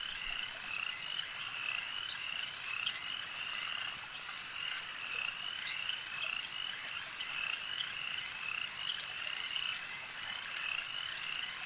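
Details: Chorus of frogs at a lake, an unbroken high-pitched rattling trill from many callers lasting throughout, steady in loudness, with occasional louder individual chirps standing out.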